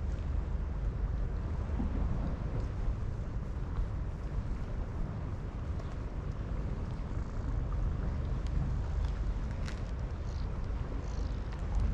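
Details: Heavy wind buffeting the microphone fills the recording with deep rumbling noise, with a few faint scattered clicks and no animal sound heard.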